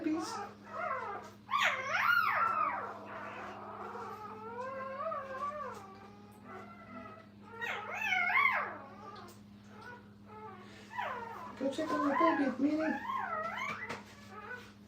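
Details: Puppies in a kennel litter, mother Minnie nearby: scattered fussing whimpers and quick yelps come in uneven clusters, some quavering and drawn out, mixed with a person speaking and a low electrical hum.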